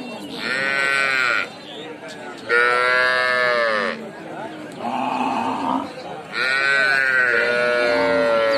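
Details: Calf (baby cow) calling: four drawn-out, nasal, bleating cries of one to two seconds each, richly harmonic and slightly rising then falling, separated by short pauses.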